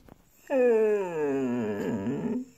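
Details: Pet Siberian Husky Mirca lets out one sustained howl indoors. It starts sharply, slides slowly downward and holds a steady tone for about two seconds before wavering at the end.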